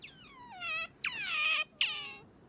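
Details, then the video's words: Sakura, a pet otter, squeals to wake its owner in the morning: three piercing, harmonic cries, each starting high and sliding downward, the middle one longest, with brief silences between. "朝は静かに起こしてくれないカワウソ Otter coming to wake me up"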